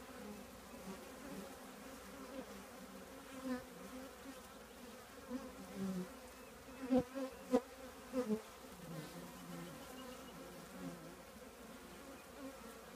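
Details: Honey bee colony living in an old trash can: a steady low, droning hum of many bees, with a few louder buzzes from individual bees flying close in the middle.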